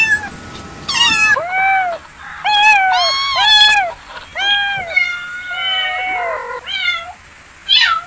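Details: Cats meowing in a busy, overlapping run of bent, wavering meows, some loud and drawn out, others short, with abrupt cuts between calls and a soft hiss behind.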